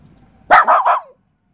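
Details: West Highland White Terrier barking while facing a mantis: a quick burst of three loud, harsh barks run together, the last trailing off in a falling whine, then silence.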